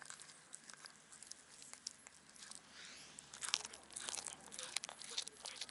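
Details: On a Japanese cat island, a black cat devours fish given by anglers near the harbour, making soft, crunchy chewing and biting clicks that come in irregular bursts and grow busier toward the end.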